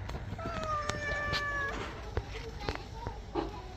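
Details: Pet cat said to be taking a bath; one drawn-out, steady meow of about a second and a half, followed by short murmured sounds, while a woman speaks Bengali close by, coaxing and calling the cat over.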